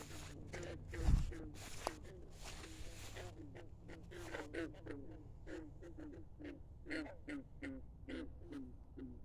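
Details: At midnight by a country pond, frogs give short, low, throaty croaks in quick succession, several voices overlapping over a steady low rumble.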